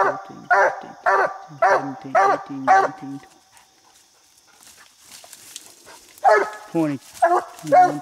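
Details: Coonhound named Bandit treed on a coon in a little tree while coon hunting, barking in quick harmonic chop bursts, about six in three seconds, a quiet pause, then more barks resuming.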